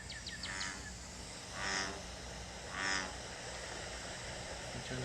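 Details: An American bullfrog (Lithobates catesbeianus) from Connecticut calls, giving two deep, droning croaks about a second apart, likened to a giant bumblebee or a cow, over a noisy room background.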